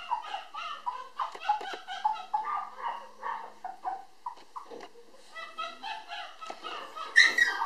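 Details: Affectionate 800 g Toy Poodle puppy, a female born 19 July, giving a steady series of short, nasal whimpers and squeaks roughly three per second, briefly pausing before a few sharper, higher yelps at the end; a soft voice faintly underneath.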